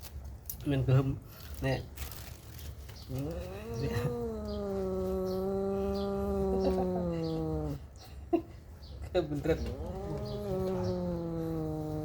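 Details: Mother cat staying close to her newborn kittens gives long, drawn-out, low meows: one steady wail lasting several seconds, then a second sustained cry after a brief pause, each with a rich, buzzy tone.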